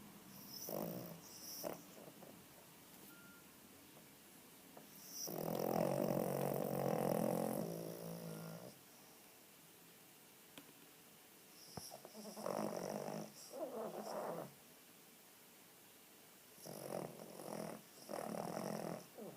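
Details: Small, overweight female Cavalier King Charles Spaniel snoring while asleep with eyes open: long rattling, snorting breaths lasting a few seconds each, separated by quieter pauses.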